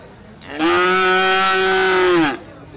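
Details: Calf at the Jetis animal market in Ponorogo, Indonesia, on a Friday Pahing; a single loud, steady, strongly harmonic moo of nearly two seconds, ending with a slight downward slide, over low crowd noise.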